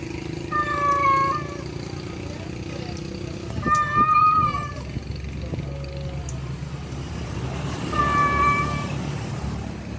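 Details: Male cat calling a wild female, three drawn-out harmonic meows spaced a few seconds apart over steady traffic rumble.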